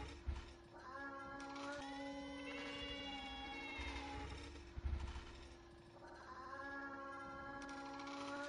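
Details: Pet cats quarrelling indoors in Japan: long drawn, wavering yowls held for seconds at a time, overlapping one another, with a steady background hum.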